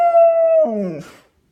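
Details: An Australian Shepherd indoors gives its unusual howl while playing with a squeak toy: a steady tonal note held about half a second, then sliding lower into a wavering, breaking moan that fades away.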